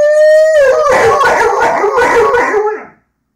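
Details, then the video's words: Rhodesian Ridgeback singing indoors: a loud, steady howl that holds one pitch for half a second, then breaks into a wavering, warbling wail with a rough edge before it fades out. "singing ridgeback"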